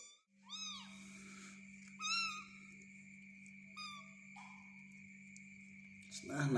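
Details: A tiny kitten being spoon-fed mews three times, each a brief high arched squeak a second or two apart, over a low steady hum and a constant high whine, with soft clicks and rustling near the end.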